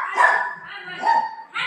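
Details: Dog barking during play between a golden retriever and a shih tzu puppy at home; a loud, drawn-out, tonal yelping bark rises and falls, then a second strained bark begins, with no other sounds over it.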